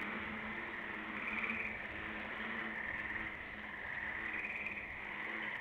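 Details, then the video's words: A dense night chorus of frogs at Cornell, 20 May 2012, with bullfrogs holding the bass line: many overlapping high trills blend into a steady, pulsing wall of sound with a lower droning hum underneath. "Frog Chorus"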